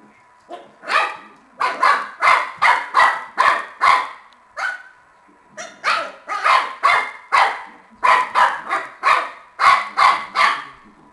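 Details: Playful Shar-pei puppy at a tennis game, letting out bursts of quick high yapping barks in clusters separated by short pauses, with a faint steady hum underneath.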